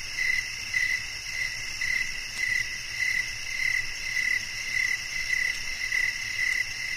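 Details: Chirping crickets for calm and sleep, a nature recording: about thirteen brief, even chirps pulse around twice a second, set against a constant high-pitched trill from other insects and a low faint hum.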